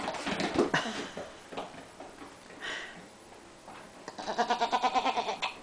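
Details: Young goat in a sweater playing indoors in a kitchen with another goat; scattered clatter and faint sounds early on, then one long, strongly wavering bleat near the end.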